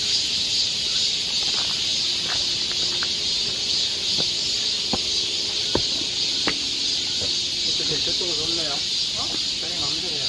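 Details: Forest cicadas of a Korean summer trail in Seoul keep up a steady, piercing high buzz, while sharp clicks and taps punctuate it and faint voices drift in near the end.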